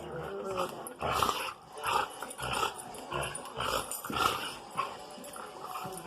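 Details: Pet dogs vocalising indoors: short, rough growling bursts mixed with higher yips, arriving in uneven pulses about once a second, over a steady background hiss.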